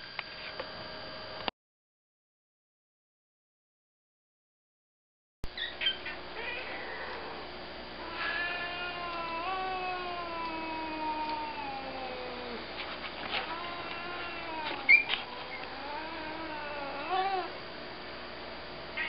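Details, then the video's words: Tabby cat growling: after a silent gap, long wavering drawn-out moans with rich harmonics rise and dip from about seven seconds on, a few sharper yowls near the end, over a steady low indoor hum. "Meet the cats 2 - now with more growl"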